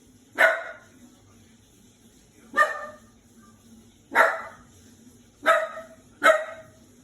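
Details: Five-month-old Shiba Inu puppy indoors, barking because it is scared of a washing machine: five sharp single barks spaced about one to two seconds apart over a low steady hum.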